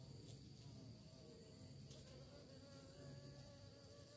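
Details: Bees hunt for prey with a continuous low droning buzz, a dense hum with faint steady overtones and occasional brief high clicks.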